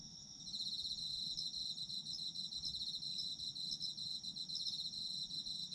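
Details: Shrill autumn insect trilling meant for falling asleep, fading in within the first half second, then a steady high buzzing chirr with faint regular accents roughly twice a second.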